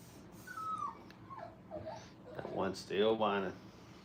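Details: Five-week-old Brittany puppies playing at a training kennel, giving high sliding whines and then a burst of loud, harmonic yelps near the end, over low room hum.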